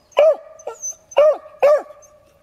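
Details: In Michigan, a tail-wagging beagle gives sharp, ringing barks in quick succession, each with a slight howling bend, at some critter he senses in a rock pile.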